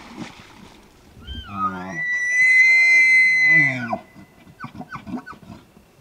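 A bull elk opens with a few deep grunts that sweep upward into a sustained, shrill whistle lasting nearly two seconds. The bugle ends abruptly and gives way to a series of rhythmic, guttural chuckles.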